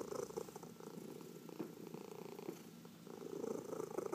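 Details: Short stretch of a domestic cat purring during a massage, rhythmic rumbling pulses with stronger bursts at the start and end, faint fur-rubbing noise.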